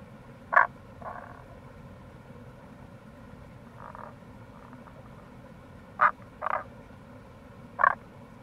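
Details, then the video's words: Wild Tago's brown frog at a gorge on the Kamo River, Itoshima, Fukuoka, in April, giving brief sharp croaks and softer purring bursts at uneven intervals over constant stream noise. "Wild Frog Call | タゴガエル"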